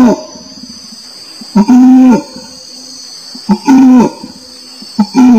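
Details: Low, harmonic orangutan calls, each introduced by a click and lasting about half a second, coming irregularly with quiet gaps between them; high insect-like droning persists throughout.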